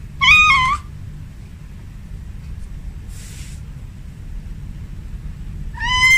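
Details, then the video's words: House cat, female, calling for a tomcat at home: one wavering meow at the start, a short hiss-like rustle midway, and a rising meow beginning at the very end. "Suara Kucing Memanggil"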